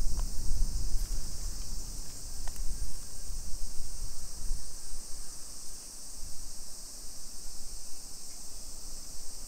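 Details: Summer cicadas chorus at 1 PM on 28 July 2021 in a hillside residential neighbourhood of Nisshin, near Nagoya, Aichi Prefecture, Japan: an unbroken, steady, shrill high hiss, over low rumbling from walking and distant traffic, with a few faint clicks.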